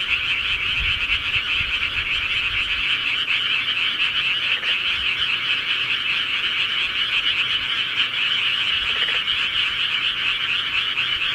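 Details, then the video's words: Many frogs calling together at night in the countryside, their high, grating croaks fused into one even, ceaseless chorus, occasional faint low rumbles beneath. "시골개구리 소리"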